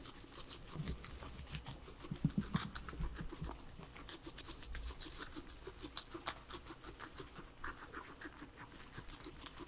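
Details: Three guinea pigs enjoy a salad of vegetables; quick, light crunches and crisp nibbling ticks patter steadily throughout, brightest in the upper range, with no music or speech.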